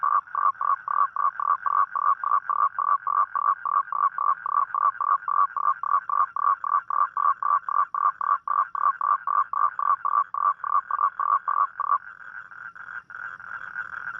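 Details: Night chorus of a toad: rapid pulsed croaks repeated about four times a second for twelve seconds, giving way to a smooth, sustained humming note at the close.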